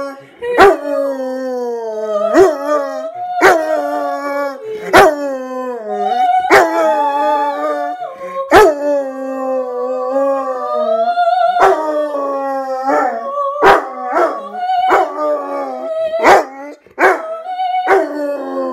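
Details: Rottweiler howling along in a sung, opera-like manner: long wavering howls that slide up and down in pitch, broken by sharp clicks or taps.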